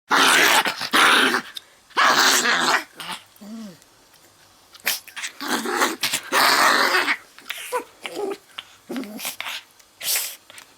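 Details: A dog that doesn't really know how to growl makes rough, breathy, growl-like noises in short bursts, with brief quiet gaps between them.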